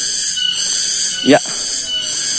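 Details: Several cicadas (tonggeret) calling in the afternoon near rice fields in the village of Tanjungsari, Rajadesa, Ciamis, West Java, Indonesia, a steady, high, shimmering drone, broken briefly by a person's voice.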